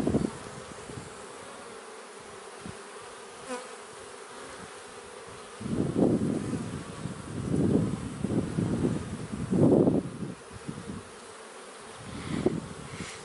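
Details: Honey bees kept in a man-made hive on a honey farm. The clip starts with a quiet hum. Then come loud, low, droning buzzes that swell and fade as bees fly close, in several passes from the sixth to tenth second and again near the end.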